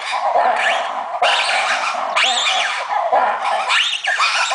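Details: Captive monkeys calling noisily at Opole Zoo, with repeated rising-and-falling wavering whoops about once a second, set against a constant wash of voices and background noise.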